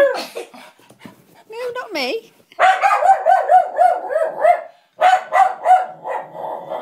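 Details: Lulu the dog dislikes a puppet; a sliding voice-like sound comes first, then a rapid volley of rhythmic barks, a short gap, and more barking.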